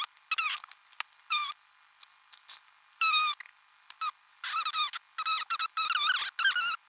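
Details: Kitten mewing repeatedly: high-pitched, squeaky meows with bent, wavering pitch, some short and clipped, others longer, coming faster and closer together toward the end, in an otherwise silent setting.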